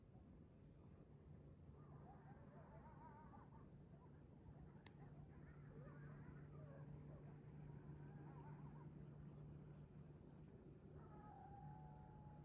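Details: Morning pack of coyotes on the move through a neighborhood: faint wavering howls and yips come in scattered bursts, ending in a longer level drawn-out note, all over a constant low hum like distant traffic.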